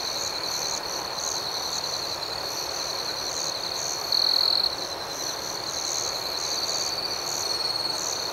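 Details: Crickets chirping at night, an unbroken shrill trill with short interrupted chirps overhead, one brief louder pulse mid-way, and a steady background hiss.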